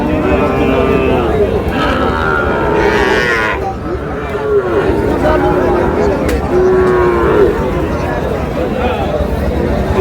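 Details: Sahiwal bull calves for sale in a busy Moulvibazar cattle market on 15 June. Three or four sustained, mournful lowing calls spaced a couple of seconds apart, each sliding slightly downward, over a dense hubbub of human voices.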